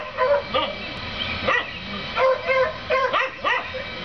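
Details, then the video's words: Neighbours' dogs barking at their rabbit, a daily occurrence, recorded 7 April 2014; several sharp barks in irregular bursts with overlapping voices, steady background hiss. "Dogs Barking at Rabbit"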